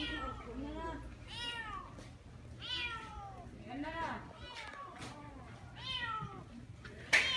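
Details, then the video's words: Neighbourhood stray cats crying at a construction site where one cat had climbed up; a series of drawn-out arching meows every second or so, with low hum and a sharp noise at the end. "공사장에 올라간 냥이 때문에 온동네 고양이들 다나옴"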